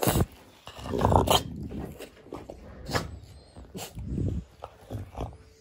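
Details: French Bulldog making rough, breathy growling grumbles, with a strong burst near the start followed by shorter snorting pulses and pauses between them.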